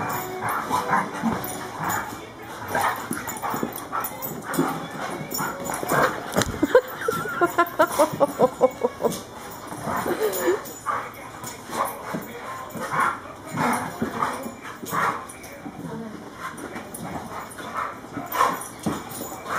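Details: Champ, a German Shorthaired Pointer, and Kobe, a Cane Corso, wrestle. Steady rough growling runs throughout, broken by a drawn-out whining, moaning call in the middle and quick repeated grunts and yaps.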